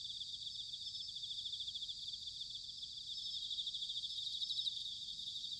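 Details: Bell crickets singing in autumn at Sanuki, Chiba Prefecture, Japan: a dense, high ringing chorus of rapidly pulsed trills that overlap continuously, swelling slightly toward the end, with no other clear sounds.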